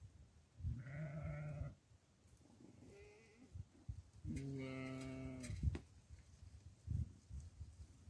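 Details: Domestic goat being given barley, bleating in two clear nasal calls, a short one followed by a longer wavering bleat, with a faint third call between and rustling and thuds around them.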